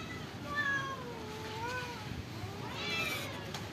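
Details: Stray cats living at a pagoda, fed rice and fish: several overlapping drawn-out meows with wavering, falling then rising pitch, a higher pair of cries near the end, over a steady background hum.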